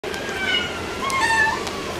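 A Turkish Van cat gives a brief, tonal meow that wavers in pitch, over a soft background hiss.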